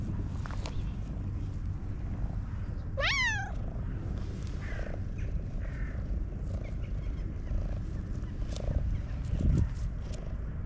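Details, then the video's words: Black domestic cat, described as content, purring heavily; a continuous low throbbing purr fills the background, with one short kitten-like meow rising and dropping partway through and a few soft faint squeaks afterward. "This Black Cat Mews Like a Little Kitten - PURRING Excessively"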